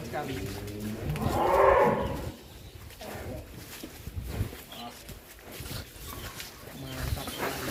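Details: Very large bull, long kept in its farm pen, being taken out for a walk; a single loud, deep, drawn-out moo swells and fades within a second, followed by shuffling, handling noise and background chatter.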